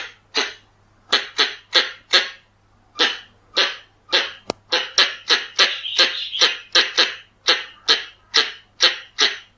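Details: Harsh, rasping chucks from a Pallas's squirrel, a recording meant as a lure, come in a fast rhythmic series of roughly two to three per second. A single sharp click falls mid-run, and a low electrical hum lies underneath.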